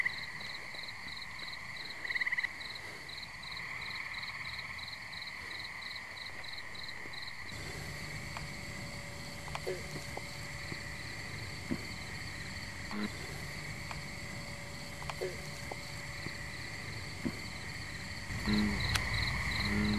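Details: Chorusing tree frogs around a pond in New Jersey on a muggy night, a continuous pulsed trill with rapid beaded notes, joined by a louder low background wash and brief sharp calls toward the end.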